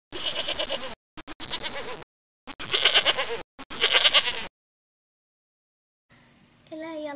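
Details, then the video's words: Domestic goat bleating in a series of wavering, quavering calls with short gaps between them, followed by a brief burst of a different voice near the end. "Kotieläimiä: Vuohi"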